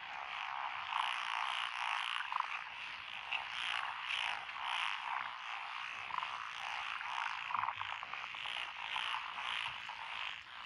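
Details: Rural lotus rice paddies in Echizen, Fukui, 12 June 2021, alive with frogs. A bright, buzzing chorus of rapid croaks is sprinkled with a few crisp individual clicks and notes standing out above the mass.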